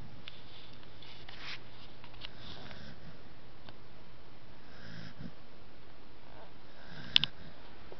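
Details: A corgi sleeping while held between two people snores softly, with airy, wheezy breaths rising and falling over a low indoor hum.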